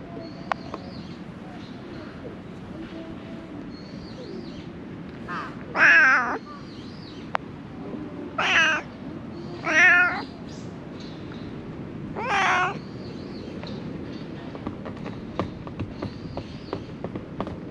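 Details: Stray cats living among illegally dumped rubbish, filmed on a GoPro HERO8: four loud, drawn-out meows at irregular intervals over the middle of the clip, with faint high bird chirps and a low rumbling background.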